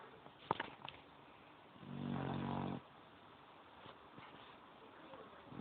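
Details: A sleeping pit bull snoring indoors; one rough, breathy snore lasting about a second amid quiet room noise, with a few soft clicks.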